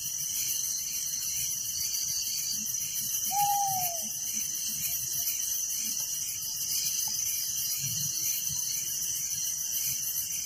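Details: Crickets chirp nonstop at night in a village, a thick high pulsing drone, with a single falling whistled note from another creature early on.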